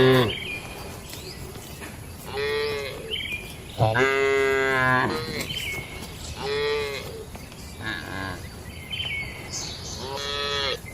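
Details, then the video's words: Several moos from cattle in a shed at night, short and overlapping calls of varying pitch at irregular intervals, with higher bleating-like tones and a constant background hum. "Suara Malam di Kandang Sapi Lembu"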